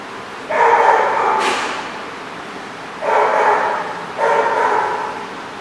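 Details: Barking dogs at The Barking Lot, 13 June 2014, give three long, harmonic, yowling barks about every one to two seconds, with a short sharp burst near the start and quieter gaps between.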